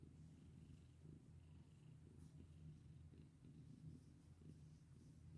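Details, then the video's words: Domestic cat purring while being petted indoors; a steady low rumbling purr runs throughout, with faint brief rustling touches from the petting. "Pet my sweet cat with me!"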